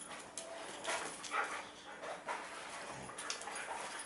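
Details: Two huskies, Hachiko and Koda, tug at a chew ring in play. Short noisy growl-like and whimpering bursts rise and fall unevenly over a few seconds, with scuffling between them.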